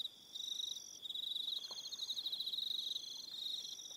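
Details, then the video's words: Evening cricket chorus on Aroha Island in New Zealand, steady shrill pulsing trills layered with higher sustained buzzes that start and stop, after a short quieter opening. "1 Hour Relaxing Evening Sound of Crickets"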